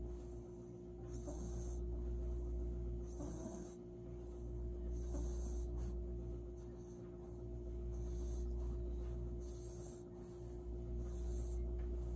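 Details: A Maltese dog, asleep in its owner's arms after a warm bath and blow-dry, snores softly, with a raspy breath about every two seconds over a steady low hum.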